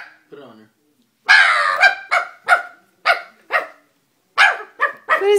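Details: A low brief grumble, then a Dobermann breaks into rapid, excited barking, about nine harsh barks tumbling out within four seconds, some doubled close together.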